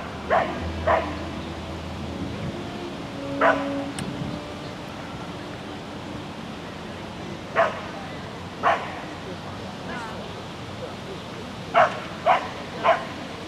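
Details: Sheltie named Lesya running an agility course in spring 2016: scattered single and paired sharp barks, some close-set triplets near the end, with human voices and a low background drone between them.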